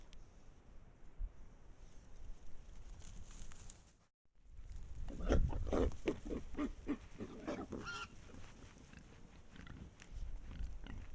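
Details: A pack of wild boars on a trail camera in Estonia, with a brief gap, then a burst of repeated low grunts and snuffling mixed with rustling and trampling, fading to scattered grunts.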